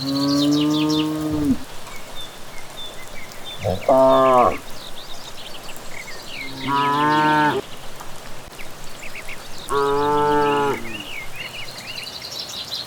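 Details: Herd of cattle returning from grazing on a village track in the evening, mooing four times in about thirteen seconds, calls long and harmonic, some wavering, with birds chirping overhead.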